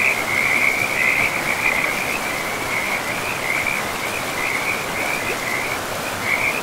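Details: Frogs in a pristine forest beside a river give a continuous high, rapidly pulsed trill that wavers slightly in pitch and swells and fades in short bursts throughout, over a steady rushing wash of flowing water.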